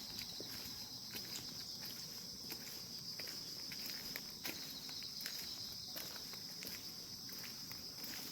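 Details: Grass insects fill a calm morning with a steady, piercing high buzz that never pauses, accompanied by frequent small clicks and tapping sounds.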